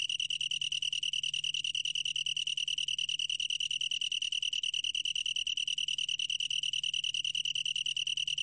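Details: Continuous high trill of a long-tailed tree cricket, recorded in 2020 for Korea's National Institute of Biological Resources, made of fast, very regular pulses at an unchanging pitch throughout, with a faint low hum beneath.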